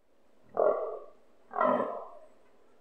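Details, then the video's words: A fallow deer stag grunting nearby during the rut, recorded from a balcony, with calls strong enough to make windows vibrate; two deep, rough, harmonic grunts about a second apart, each fading out, over a quiet background. "sounds of a fallow stag grunting during rut season"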